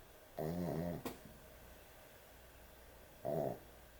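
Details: Sleeping dog snoring heavily indoors at bedtime, a loud rasping snore near 0.4 seconds, a sharp click just after, then another short snore near the end, quiet room between.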